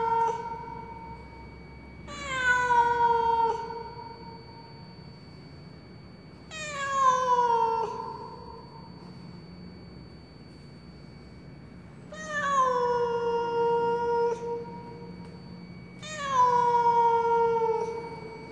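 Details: Lost cat in a high-rise apartment stairwell wailing plaintively: four long, slightly descending meows with rich harmonics, spaced four to five seconds apart, over a quiet constant background hum.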